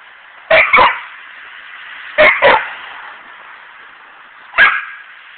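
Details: Pet dog yelling at a squirrel: sharp barks in two quick pairs and then a single bark, with a steady background hiss.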